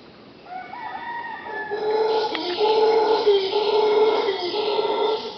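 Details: Several howler monkeys roar near a bedroom at Punta Uva, Pachamama Caribe, Costa Rica; a rising moan swells into a powerful, rasping, sustained howl with rich overtones, wavering in pitch and holding strong to the end.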